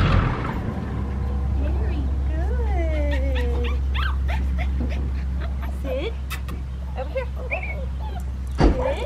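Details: Seven-week-old female red merle Australian Shepherd puppy, scratching at an unfamiliar collar, gives high thin whimpers and yips, including a long drawn-out falling whine, over a steady low engine hum and a person talking.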